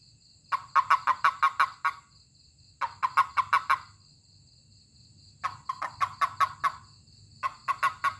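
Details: Toad's call when touched: four bursts of quick, rasping chirps, each burst of five to eight pulses, separated by pauses of about a second, over a low steady hum.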